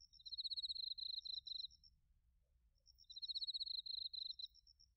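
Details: Bell crickets and field crickets singing in autumn at Narita, Chiba, Japan, TASCAM Portacapture X8 recording; two stuttering high trills, each broken into short pulsed bursts, separated by a brief quiet gap.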